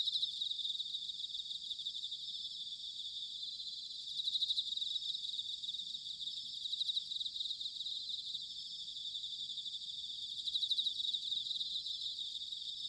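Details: Several bell crickets in autumn at Sanuki, Chiba, Japan, producing a constant high-pitched shimmering chorus of fast pulses that swells twice into louder trilled phrases, over a quiet low background hum.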